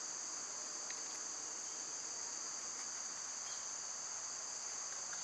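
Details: Summer cicadas in full chorus, an unbroken high, shrill buzzing drone in two steady pitch bands that holds evenly throughout, with only faint ticks in the background.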